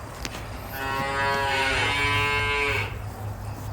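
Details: Simmental calf for sale lowing in one long, even moo of nearly two seconds that fades out abruptly, over low background rumble.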